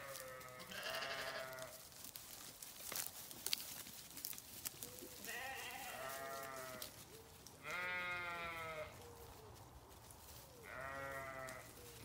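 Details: Sheep giving four separate drawn-out, vibrating bleats about three seconds apart, with soft clicks and knocks in the quieter gaps.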